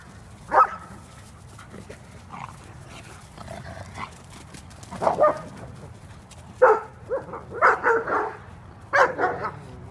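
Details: Kuvasz dogs at play in California: scattered loud barks and yips come in irregular clusters over a steady background hiss, with quieter whining sounds in the gaps.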